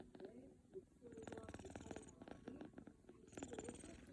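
A sleeping British Shorthair kitten purrs in a low, steady rumble that swells with each breath.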